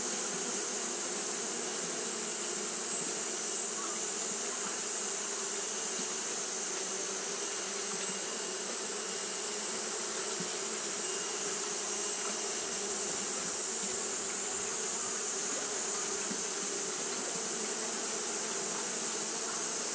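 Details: Japanese honey bees fanning continuously on a hot day, a steady, unbroken low hum with layered droning overtones, joined by a constant bright high-pitched hiss throughout.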